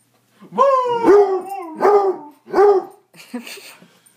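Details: Dog howling in a contest with a person: a rising howl breaks into several short, bending howl-barks in quick succession, ending in a softer, rougher noisy tail.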